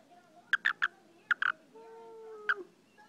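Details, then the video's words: Frog named Betsy, getting a belly rub while watching TV, gives clusters of short, crisp chirps, three, then two, then one, with a faint steady tone in the background. "Betsy the frog talking!!"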